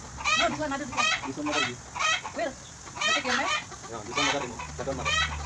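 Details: Bottle-fed affectionate goat in Bahrain calling repeatedly: a rapid series of short, shaky, vibrato bleats, roughly two per second at times, some cries doubled, over a low steady hum.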